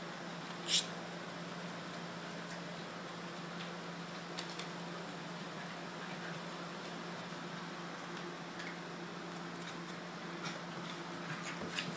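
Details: Indoor room with a steady low hum like a fan, a faint click near the start and scattered small taps and rustles; no clear animal voice.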